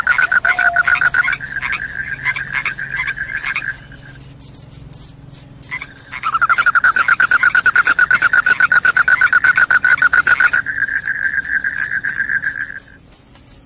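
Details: Cricket chorus said to drive away rats and bring on sleep: bright, high chirps repeating in quick trains over a lower, rapid pulsed trill that pauses briefly and then resumes.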